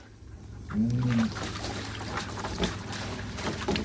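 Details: German Shepherd giving one short, low, moaning whine lasting about half a second, slightly rising then falling, over a steady background of trickling water and clatter.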